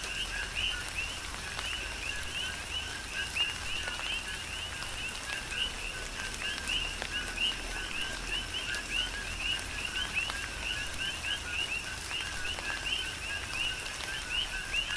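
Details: Chorus of coqui frogs calling during a tropical rain shower on the Big Island, Hawaii: many overlapping two-note calls, a lower tone followed by a higher rising chirp, repeated steadily over continuous rain patter and occasional drips.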